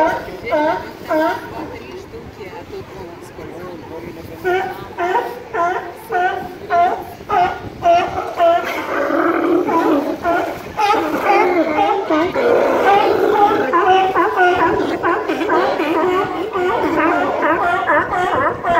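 California sea lion barks come in quick harsh bursts, roughly two per second, each one honking and strongly toned. Later the barking thickens into a noisy overlapping din, with possible human chatter mixed in.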